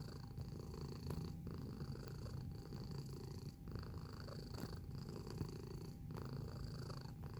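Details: Steady purr from a close-up cat, a soft deep rumbling drone pulsing regularly with each breath and briefly dipping about once a second, accompanied by a faint, constant high-pitched hum.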